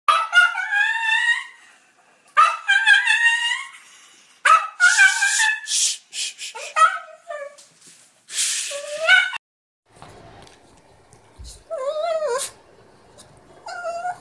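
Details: Pekingese dog giving high, whining yelps that slide upward, mixed with sharp barks in quick runs. It ends in wavering whimpers over a low background hum.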